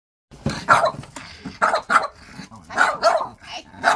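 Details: French Bulldog barking and grumbling while arguing with its owner over his chair; a series of short gruff barks and vocal bursts, about six to seven in four seconds, with brief pauses between.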